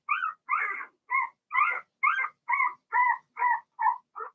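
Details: Blenheim Cavalier King Charles Spaniel puppies in a home puppy pen, Remy's first litter of two females and four males; ten evenly spaced squeaky yelps, about two a second, bright and whiny with a clear upper harmonic.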